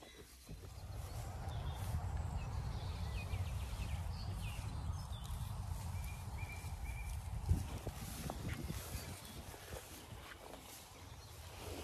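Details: Zwartbles sheep grazing on a farm in Ireland, recorded for a soundscape of farm biodiversity linked to healthy soil; steady low tearing and munching of grass, roughly four bites a second, over quiet rural background.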